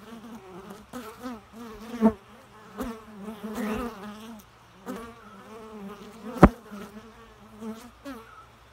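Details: Bee buzzing: a low, droning hum with rich overtones that swells and fades in repeated passes, wavering in pitch as it moves close, with a few sharp taps or knocks between passes.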